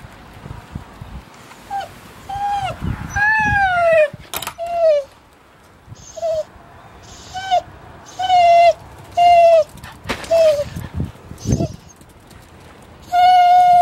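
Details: Fanny, a 14-year-old female Whippet, is kept at a home while her family is on holiday. She gives a series of clear, high whines, several sliding downward, each about a second apart, and ends on a longer, steady note. Faint voices are heard between them.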